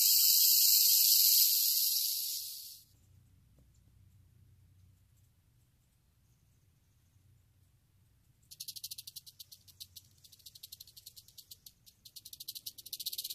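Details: Western diamondback rattlesnake: a loud, rapid buzzing rattle stops abruptly after about three seconds, near-silence with a low rumble follows, then a softer rattle resumes as distinct, rapid clicking pulses.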